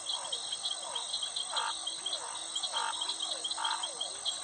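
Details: Frog calling at night-like chorus: short mid-pitched croaking bursts repeat about once a second, set against a dense, continuous shrill trilling of crickets and a steady high whine.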